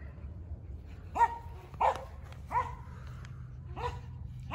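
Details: Forty-nine-day-old Border Collie puppies from a German sire and Russian dam, letting out sharp high yips about once every second, with soft background hum.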